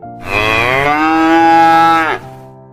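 A cow gives a single long, loud moo, about two seconds, rich and steady in pitch, then trailing off with a slight downward bend.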